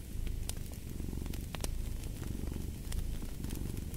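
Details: Domestic cat purring beside a crackling fireplace: a steady low rumbling purr, pulsing continuously, with sharp pops and crackles of burning wood scattered throughout.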